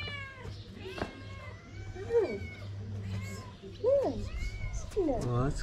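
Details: Street mother cat in Morocco, hungry and begging for food to make milk for her kittens, gives three short bent meows about two seconds apart, each rising and dropping, over a low hum and quiet human talk.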